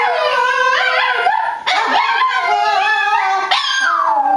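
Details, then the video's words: Buddy, a Boston Terrier, sings for his family at home: sustained harmonic howls sliding and wavering in pitch, with brief breaks between yowling phrases and rising then falling tones throughout. "Buddy The Boston Terrier Singing"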